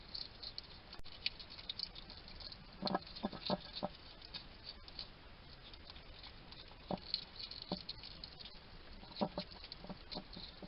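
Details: At a garden feeding station in Somerset, UK, a wild male hedgehog chats to himself while eating, recorded by trail cam: a run of sharp, crunchy clicks and brief snuffling clusters spread irregularly through the recording.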